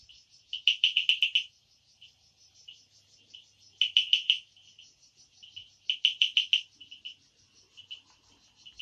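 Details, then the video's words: Frogs calling at night in the forest of the Amboli hills, Sindhudurg: bursts of rapid, high-pitched clicking pulses, each burst about half a second long and coming every two to three seconds, with softer single clicks between them. "बेडकांचे आवाज | sounds of frogs Amboli hills"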